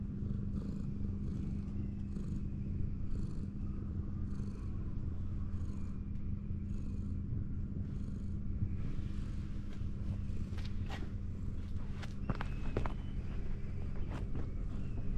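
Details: Ginger tabby cat leaning against a wall with its big belly exposed while being stroked, purring in a steady low rumble throughout; soft rhythmic brushing of fur repeats about once a second, with faint high whistles late on.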